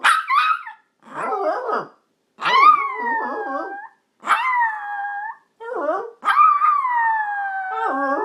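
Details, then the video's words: Yorkshire Terrier howling along with its owner: long tonal wails falling slightly in pitch, broken by short gaps, mixed with lower warbling human howls and brief yips. "Yorkie Howls With His Owner"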